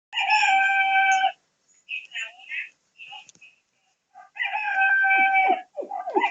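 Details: Chuchu, a Cocker Spaniel, gives two long, steady, harmonic howling notes, each held for about a second, separated by a quieter stretch of short, muffled sounds.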